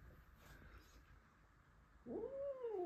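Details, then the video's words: O’Mailey, a house cat, angry indoors the evening after a new Blue Russian male cat was brought home; near the end, a short tonal yowl swoops up and then slowly falls, after a quiet stretch with faint human voice. "O’Mailey gets really angry as a new cat is in the house"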